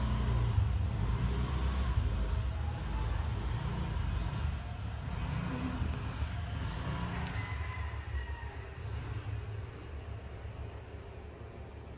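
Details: Low rumbling road traffic with passing vehicles dominates, and no animal voice is heard.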